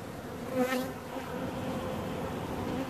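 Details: Bees buzzing in a steady hum with harmonic bands, one passing close around the middle and swelling louder before fading back into the background drone.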